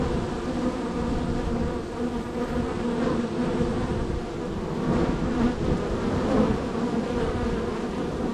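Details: Honey bees streaming in and out of hive three on a row of hives on a highly active day; thick constant droning with some louder swells as bees fly near, plus faint low rumble.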